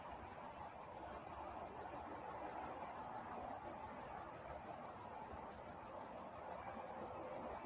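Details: Crickets at night in Walnut, California, chirping in quick, regular pulses about three per second, a bright high trill on a single pitch with a faint overtone above and quiet background hum.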